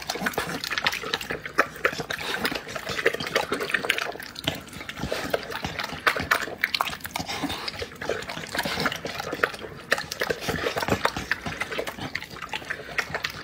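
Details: Eating dog producing steady wet chomping and lapping, sharp irregular smacks packed closely throughout with no pauses.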